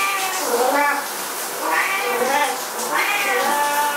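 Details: Two Siamese cats, pets, yowling while their owner showers; drawn-out, wavering meows overlap in a continuous chorus with no pauses.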